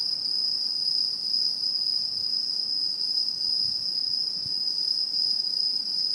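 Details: Autumn insects singing in satoyama countryside in 2016: a dense, unbroken high-pitched trill holding one steady tone, with a fainter shimmering overtone above, and nothing else heard.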